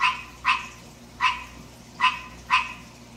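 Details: Male green tree frog kept indoors, calling in the middle of the night: four loud, grating croaks with uneven gaps between them.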